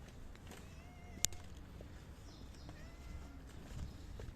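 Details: Hungry stray calico cat, a community cat living near residential buildings, asking for food outdoors on a windy day: two soft, drawn-out meows, one early and one near the end, over steady wind rumble with a single sharp click.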